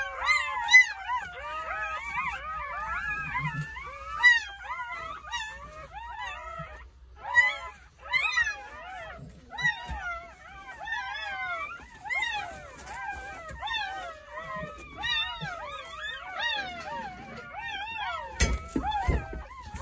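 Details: Squeaky, warbling cries from a newborn Jindo litter of nine, delivered between 8:30 in the morning and 1 o'clock on New Year's Day at a country house. Dense overlapping whines with short pauses and a few soft knocks near the end.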